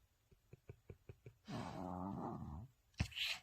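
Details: Maltese dog asleep and snoring: a run of soft ticking breaths, then one long, throaty rasping snore of about a second, followed by a sharp snort.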